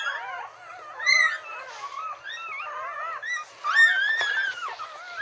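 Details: Newborn retriever puppies, some an hour old and some only minutes, nine in the litter, lying with their mother: overlapping squeaky, wavering whines and high squeals from several pups, with louder bursts near the first and fourth seconds.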